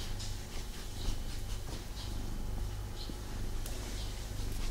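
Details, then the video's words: Pet cat snuggling indoors with its owner, not quite settling down; a low, even purring rumble continues under occasional soft airy breaths and faint rustling. "ASMR Cat Snuggle Kuddle | Purring"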